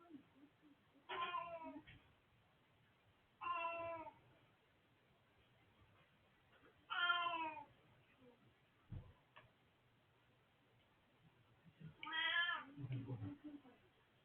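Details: Elderly male house cat recorded 20 March 2024, meowing four times at irregular intervals of two to five seconds; each meow is a short harmonic cry, with a low thump and quiet room noise between.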